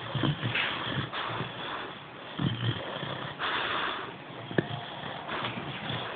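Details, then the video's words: Tindrah, a sleeping Boxer puppy, snoring: rough, breathy snorts rising and falling about once a second, with a sharp sniffing click near the end and no other sounds. "snoring boxer puppy"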